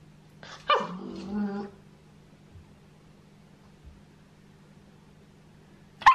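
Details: Female Shetland Sheepdog puppy, seven months old, trained against demand barking while wearing a head collar: a short harsh bark, then a drawn-out whining yelp, a long quiet pause over a steady low hum, and a final sharp bark.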